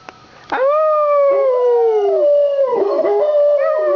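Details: Two pet dogs howl after a fire truck with blaring sirens passes their street during a Santa Fire Truck Parade in town; a long, steady, slightly falling howl rises after a click, with a second wavering voice joining near the end.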